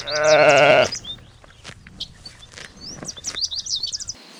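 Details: Sheep on a green spring meadow, lambs among them: one loud, quavering bleat opening the recording, followed by quieter rustling and thin, high bird chirps scattered throughout.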